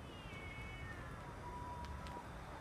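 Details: Two male cats named Siamlock and Naomi quarrel far off, late afternoon, February 16, 2018; one long yowl begins high and glides slowly down over two and a half seconds, thin and distant against low outdoor rumble and a couple of soft taps.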